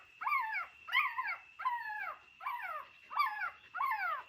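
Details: Dog in an old house where a mother dog gave birth to puppies: six high, whining yelps, each falling in pitch, spaced roughly every two-thirds of a second, with a steady faint electronic tone behind.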